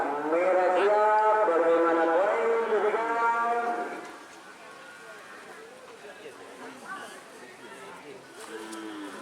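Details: Cattle at a Kerapan Sapi bull race, Sokaramme field on Sapudi Island, Madura, Indonesia: one loud, long harmonic moo lasting about four seconds, then fainter calls and crowd voices.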